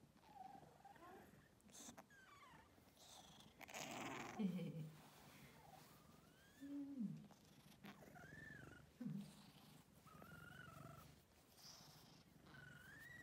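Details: Domestic cat purring in a low, steady rumble throughout, overlaid by a person speaking softly with brief rising and falling voiced sounds.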